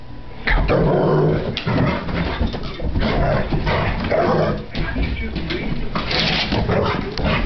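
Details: Giant schnauzer after breakfast, making a run of low, rumbling, grumbling growl-like moans in uneven bursts. Each burst lasts about a second and is followed by short breathy pauses, with steady low background noise throughout.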